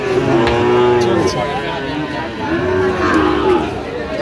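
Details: At a cattle market where Sahiwal calves are being haggled over, two sustained, even-pitched moos lasting about a second each, separated by a short gap, with people talking loudly around them.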